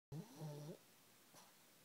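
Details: Ridley, a pet pug, sleeping in his comfy blanket indoors: one short low snore with a steady hum around a tone near 150, fading after under a second, followed by quiet room hiss.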